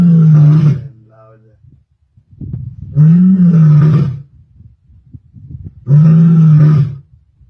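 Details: A lioness roaring in Sabi Sands on 23 May 2024: deep, drawn-out roars roughly every three seconds, each a loud low moan lasting about a second, with softer grunting between and brief German speech nearby.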